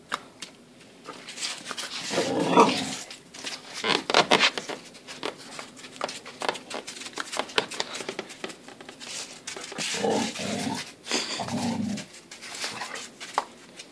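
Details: Pair of Border Collies at play in snow, giving several short rough growls and bark-like bursts in clusters, with gaps of scuffling, panting and rustling noise between them.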